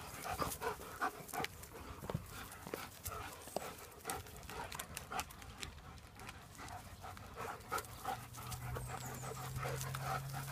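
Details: German Shepherds out in the first little bit of sun in 2017, panting in quick, uneven breaths of about three per second; soft rustling and handling noises and a faint low hum rising near the end.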